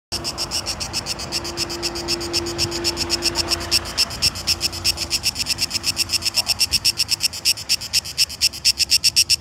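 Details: Cicadas in Šibenik, Croatia, recorded 5 July 2018, give a loud, harsh buzzing song, pulsing rapidly and building steadily in intensity.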